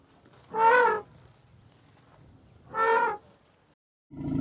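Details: Elephant. Two loud, brassy trumpet blasts from an elephant, each lasting about half a second and rich in harsh overtones. A third, lower and rougher blast begins just as the recording ends.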